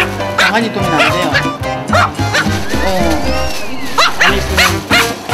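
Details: An excessively loud dog, said to be louder than a highway, barks nonstop in sharp, repeated bursts over background music and human voices after being brought to a workplace.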